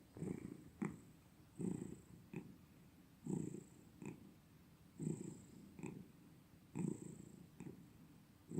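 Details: Cat purring close up, deep throaty rumble in rhythmic breathing cycles roughly every one and a half seconds, each cycle a louder pulse followed by a brief softer one.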